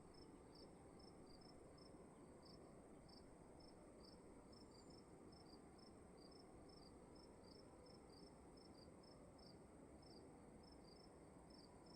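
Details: Crickets chirping inside a dark room at night, rapid high pulses in paired, staggered trains continuing steadily throughout, over a dense low-frequency hum with no other sounds.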